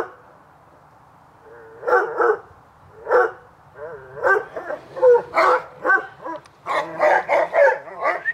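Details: Dogs Hubert and Woody bark during summer playtime in a backyard on an afternoon. After a quiet start, the barking grows into a rapid string of sharp, ringing barks that continue to the end.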